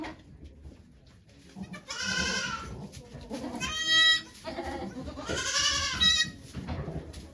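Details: During Okayu's delivery of twin kids at Yoshigake farm in Japan on 3 May 2023, three bright, bleating cries sound about every two seconds, each rising then falling, with faint voices behind.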